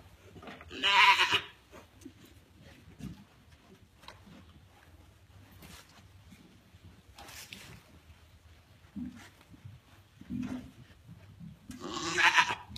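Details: African pygmy goat doe RRF Cascade, a Grand Champion, restless and uncomfortable around 9am on the morning she kidded triplets; two loud harmonic bleats, one near the start and one at the end, with quiet rustling between.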